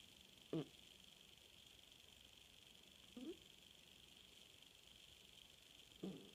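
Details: Puja the cat asleep at night, giving short soft snorts roughly every three seconds, three in all, against a quiet steady room hiss.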